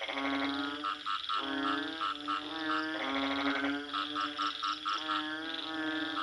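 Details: Frog croaking in a dense, rhythmic sequence of nasal, harmonic notes, each lasting about half a second, with brief clicking pulses layered above. The notes repeat with hardly a pause across the whole stretch, and no other sounds stand out.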